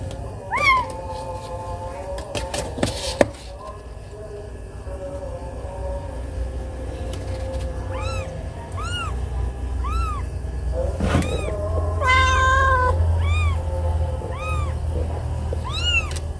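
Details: Mother cat, angry because her kitten was bitten: after a few sharp clicks and a faint wavering cry, a series of short, arched, high meows repeats about once a second, growing louder toward the end over a low background rumble.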